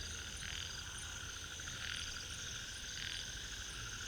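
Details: Ornate narrow-mouthed frog at Inamauwa Tank, Dambulla, in Sri Lanka's Central Province. It gives three short, buzzy, rasping bursts about a second or more apart over a steady, shrill insect chorus.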